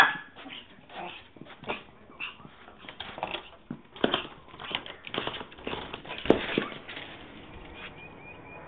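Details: Yorkshire Terrier named Zoe, chasing after a squirrel, filmed on a mobile phone; short, sharp bark bursts come in an irregular series, with a faint voice and indoor room sound between them.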